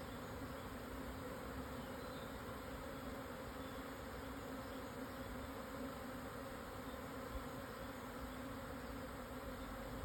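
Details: Japanese honey bees in a swarm, seeking a new home at midday on 17 June 2024, Yatsugatake southern foothills, Yamanashi, Japan; a constant, many-voiced low buzz hums without pause throughout.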